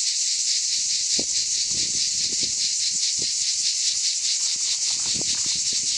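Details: Summer chorus of cicadas in the Aude region of France, a continuous shrill, hissing drone with a steady fast throb throughout, plus a few soft low knocks beneath.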